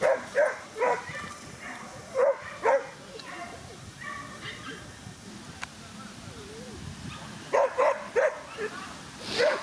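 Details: Whippet racing at Twin Cup 2017, Latvia, with Weikotin Superpuma and Besties Wasabe. High, yappy barks arrive in bursts of two to four at the start and end, with speech and crowd noise filling the gap between.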